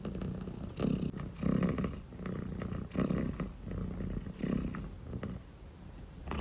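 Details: Purring from a sleepy dilute calico kitten: rumbling waves that rise and fall roughly every second with the breath, continuous and low throughout.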